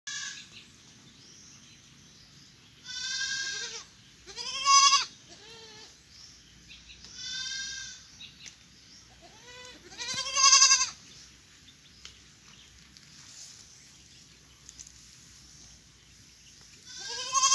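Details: Goat kids bleating noisily, unwilling to stay in the nursery and complaining about mud; five loud, wavering, harmonic-rich bleats come in irregular bursts roughly every two to three seconds over quiet background.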